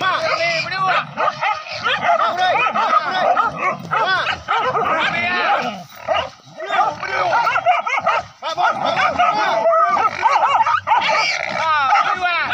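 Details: Pack of village dogs chasing wild boar in a forest hunt with spears: continuous overlapping yelps and high baying barks from several dogs, with human voices mixed in.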